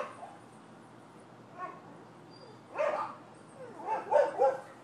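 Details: Neighbors' dogs in Florida, 12/7/15, giving a few muffled, somewhat distant barks: one faint yelp, a longer rough bark, then a quick run of two or three barks near the end.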